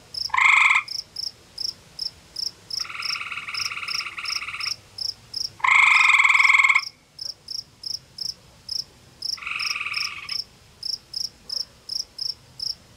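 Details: Calls of a male gray tree frog beside a forest pond in Ontario, Canada, warning a rival male that answers from the background: loud rattling trills alternate with longer, fainter replies, back and forth, over a regular high-pitched insect chirp.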